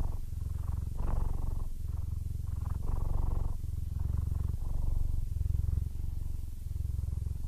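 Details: Aris, a 15-year-old male Siamese cat, almost blind yet content, purrs steadily: a deep, close rumble in bursts of about a second, with brief dips between breaths throughout.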